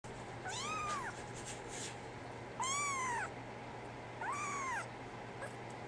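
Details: Brown tabby and white female kitten, born 24 December 2010, meowing three times; each meow is a clear, rising-then-falling tonal call about half a second long, spaced about two seconds apart, over a faint steady hum.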